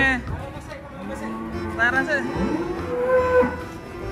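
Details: Cattle being unloaded from a truck: a few short, low, harmonic moos around the middle and end, with background music, people talking and general handling noise.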